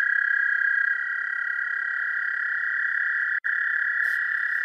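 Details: Continuous high, ringing trill of an American toad, taken with an amplified mono parabolic microphone on a DSLR camera; the trill holds steady, cut by a brief gap near the end, with a faint click afterward.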